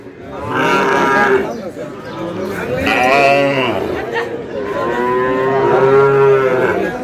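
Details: Sahiwal bull calves for sale at the opening of Ambari cattle market in Dinajpur on 11 May: several drawn-out, harmonic moos rise and fall, the first near the start and a long one later, over steady chatter from traders bargaining.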